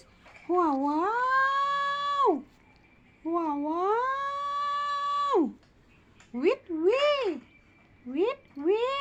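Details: Sleepy kitten inside a small room meows repeatedly: two long, level, drawn-out cries, then a quick series of short rising-and-falling mews near the end, with soft background hiss.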